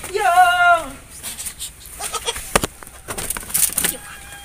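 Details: Etawah goat, a mother with three newborn kids: one wavering, harmonic bleat of under a second at the start, then scattered clicks, knocks and noisy bursts.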